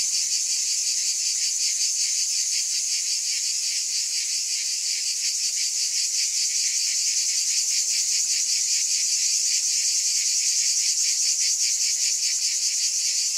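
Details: Cicadas in a dense, unbroken, high-pitched shimmering buzz, with two bright bands of sound and a faint rapid pulsing running through it; steady loudness throughout and no other sounds.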